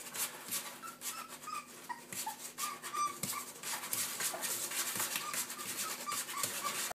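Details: Young Springer Spaniel puppy giving high squeaky yips and whines, many short tonal notes in quick irregular runs, mixed with scratchy rubbing and clattering noises throughout.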